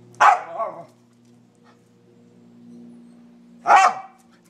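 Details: A 10-month-old Scottish Terrier barks at squirrels up a tree: one sharp bark trailing into a shorter second note, then another loud bark about three seconds later, over a faint low hum.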